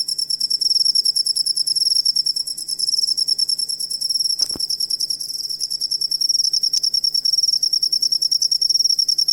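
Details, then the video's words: High-pitched cricket trill used to train songbirds, a continuous run of quick pulses about three per second, with one short sharp click partway through. "Asli Ampuh Suara Jangkrik Buat Masteran Burung Kicau"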